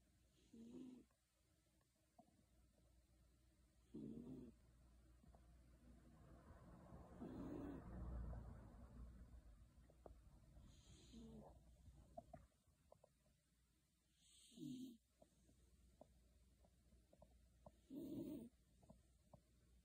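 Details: Shiloh, a Beagle sleeping soundly under a kotatsu, snores softly in low, rough bursts about every three to four seconds, with a quiet breathy hiss between snores in a still room.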